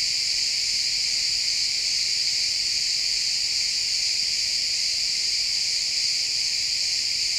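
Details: A loud, close chorus of crickets chirping in a pine forest at sunset, XY stereo: piercing high continuous trilling with dense rapid pulses, steady in volume, no other animals clearly heard.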